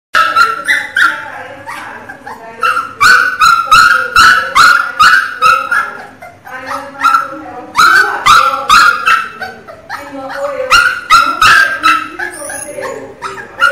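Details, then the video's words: Pinscher puppy crying very loudly: rapid run of high, harmonic yelping cries, about two or three per second, in sustained bursts with short pauses. "filhote de cachorro chorando alto é de da dooo!! choro de cachorro pinscher"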